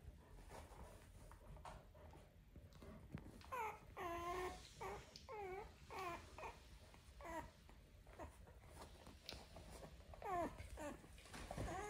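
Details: Four-day-old Black and Tan Coonhound puppies at a kennel, giving a run of short, thin, rising-and-falling squeals and whines in quick bursts, several overlapping, with soft rustling in a small indoor space.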